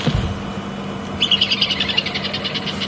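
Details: Squirrel alarm calling very intently from a knobthorn tree at Djuma Game Reserve on an afternoon safari drive, May 14, 2015, possibly at a leopard, near an old elephant bull; a rapid run of sharp chattering bursts follows a low rumble.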